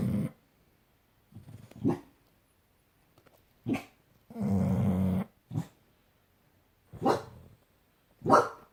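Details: Sleeping pet dogs Bus and Kat snore indoors; short scattered snorts and breathy puffs, with one longer rumbling, growl-like breath in the middle.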